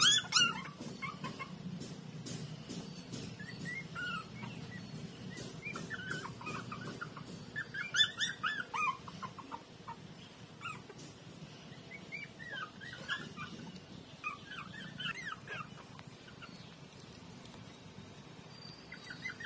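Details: Young street puppies, walking for about a week, playing by sucking and biting each other; scattered short, high, squeaky whimpers and yelps rise and fall in quick irregular bursts over a soft, steady low background rumble.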